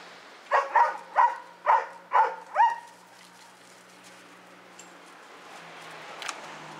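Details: Doberman Pinscher dog during play and exercise, giving six loud, deep barks in a quick, even series over about two seconds, then falling silent against faint background hum.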